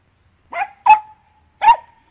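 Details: Andy, a Dachshund busy digging, gives three sharp barks, the second and third a little longer with a ringing tail, spaced about half a second apart over a quiet background.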